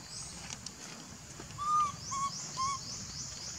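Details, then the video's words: Baby monkey calling its mother for milk: three short, clear tonal coos, each slightly arched and about half a second apart, over a steady high-pitched insect hum. "Lovely baby monkey call mom to give him for milk"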